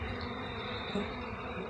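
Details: Honey bees at hives in Jamaica, handled by a man: a steady, dense buzzing hum fills the whole stretch, with a brief louder bump near the middle and a man talking just around it.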